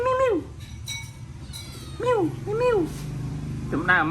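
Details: Hungry cats being fed rice, giving short arched meows: one at the start, two close together around the middle and a final one at the end, over a low background hum.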